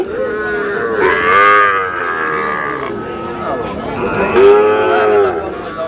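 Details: Sahiwal bull calves being sold at a cattle market, a Dhaka farmer buying, late April: two strong, long harmonic moos, the first sliding down, the second steadier near the end, over busy crowd voices and shouting.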